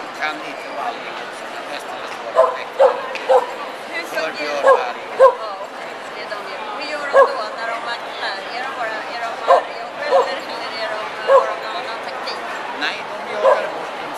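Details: Kuvasz at the Swedish Kuvasz Club's presence at Hundsmart 2009, a Swedish Kennel Club event: short sharp barks come singly and in pairs, spaced a second or more apart, over a steady murmur of voices and hall noise.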